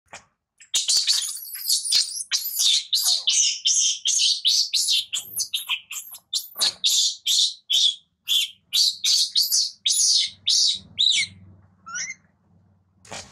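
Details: Infant monkey crying loudly while its mother weans and warns it: a dense run of shrill, high-pitched screams, mostly rapid and uneven, about two per second, with a low hum underneath toward the end.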